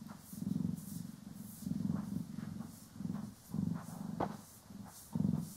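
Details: Poki and Kiwi, pet cats, purr during grooming and brushing; low rumbling purr in rhythmic swells roughly each second, plus light scratchy brush strokes and a faint click, stereo recording.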